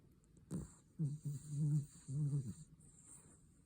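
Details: Sleeping Cavalier King Charles Spaniel snoring heavily: one short snort, then two drawn-out rough, low, throaty snores with a brief gap between, over a steady faint high hiss.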